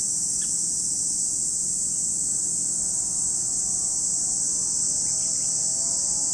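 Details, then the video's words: Lake Kamo, Sado City, Niigata, Japan: cicadas keep up a constant high shrilling wall of sound, with a couple of brief faint chirps and soft tonal background hum underneath. "Lake Kamo in Sado City, Niigata Prefecture, Japan, where you can hear the voice of cicadas."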